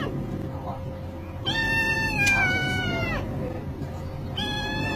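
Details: Kittens at play give two high meows, the first a long falling cry with rich harmonics, the second short and clipped at the end, over a steady background hum and faint music.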